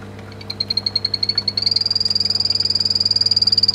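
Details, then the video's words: Pet poison dart frogs singing: a rapid high-pitched trill of pulses, about four per second at first then quickening, steady in pitch and slightly rising midway, over a constant low electrical hum. "Мои питомцы- пение древолазов"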